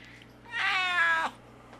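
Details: A male Siamese cat gives one drawn-out, nasal meow with a rich, harmonic tone.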